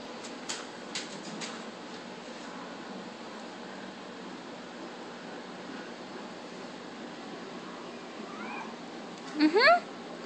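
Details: Male Russian Blue cat indoors, playing fetch with a paper ball he carries in his mouth; mostly quiet room tone, a faint short call, then near the end a brief loud rising meow with stacked harmonics.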